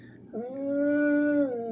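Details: Dog answering its owner's questions with a short sustained howl, a sudden onset then an even, level tone that dips slightly at the end, soft music in the background.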